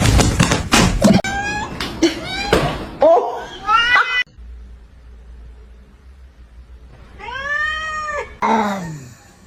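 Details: Domestic cat meowing in clear, harmonic arcs: a short pair near the middle, then a long rising-and-falling meow and a final descending one. Clattering, tapping and a brief human voice come before them.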